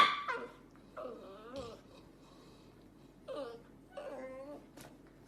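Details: Corgi dog giving three short, wavering whimpers with bending pitch, spaced over about five seconds, against a low steady background hum.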